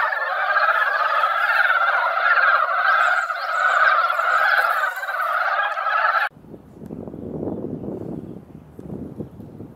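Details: Many mountain frogs assembled at a mountain-village pond after light rain in their once-a-year singing season, producing a loud, bubbling, overlapping chorus of croaks for about six seconds before it cuts abruptly to low rumbling background noise.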